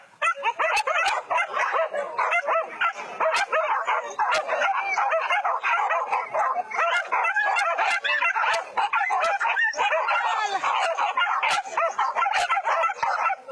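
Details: Trained hunting dogs in a pack chase wild boar through rice fields in West Sumatra, Indonesia, during a Minang pig hunt. Dense, overlapping barks and yips come nonstop from several dogs, with sharp high clicks scattered throughout.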